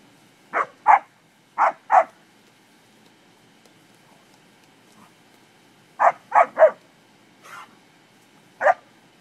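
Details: English springer spaniels playing with cattle bark in short, sharp bursts: two quick pairs, a pause of about four seconds, then a rapid run of three, a softer bark and one last bark.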